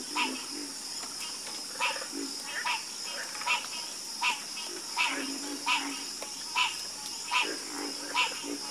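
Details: Frogs croaking in a calming chorus, with short harsh croaks pulsing roughly every half second to second, each rising into a bright buzzy burst, over a steady high insect-like hiss.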